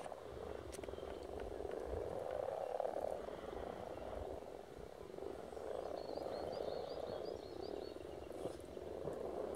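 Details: A mass of frogs spawning at Silton Forest keeps up a thick, rapid croaking chorus, and a high thin twittering comes briefly in the background midway.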